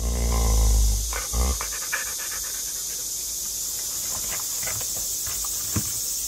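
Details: Pet dog panting while a grandmother brushes its teeth for the first time, the dog licking at the toothpaste; quick breathy pants about twice a second over steady broadband hiss, with a thump at the start.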